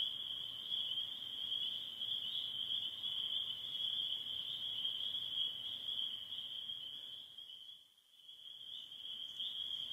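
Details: Late-spring chorus of spring peeper frogs in northern Michigan, near the end of their calling season: continuous shrill, high peeping from many frogs, briefly dipping quieter near the end before resuming.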